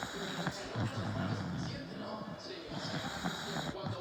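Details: A bulldog snoring: low, rumbling snore phrases in steady bursts, each a buzzy drone lasting under a second, with faint voices and room hiss behind.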